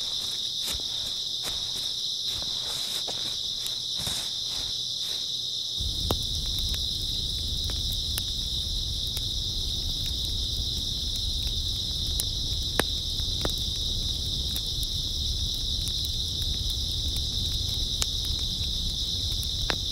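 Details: Constant high-pitched trilling of grass insects on an early autumn night; footsteps crunch during the first five seconds, then a low crackling campfire rumble joins the steady insect drone.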